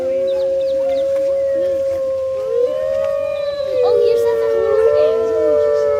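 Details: Chorus of captive grey wolves at Artis Zoo on 10-11-2013, captured with an HTC One phone; a long steady howl runs throughout while shorter wavering, yipping voices rise and fall around it.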